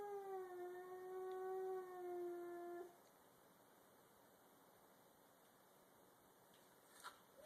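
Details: In a garage, a domestic cat, either a grey-and-white stray or a black cat, gives a long, steady, drawn-out yowl at the other, the two about to fight.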